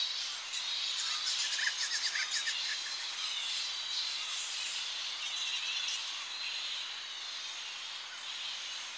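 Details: Shrill chattering of a Tonga flying fox colony at dawn as the bats settle back into roosting trees on the coast: rapid, irregular high squeaks overlapping into a continuous bright chorus, with a brief louder burst near the second mark.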